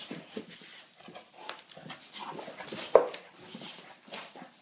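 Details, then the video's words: Rescue American bulldog brought from Ireland to Sweden, playing indoors in a small room: soft panting and rustling breaths with brief whimpering sounds and one sharp louder noise near the three-second mark. "American bulldog playing"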